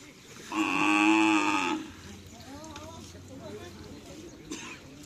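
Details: Cattle at a karapan sapi bull race training session at Asemanis field, Pamekasan, preparing for an event; a single drawn-out, harmonic moo lasting about a second, followed by people talking nearby.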